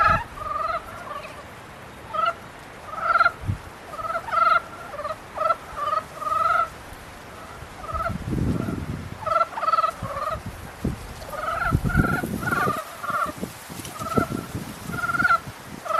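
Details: Frogs during the mating period give a steady run of short, buzzy, pulsed croaks, roughly one or two per second, with low thumping noises around the middle and later.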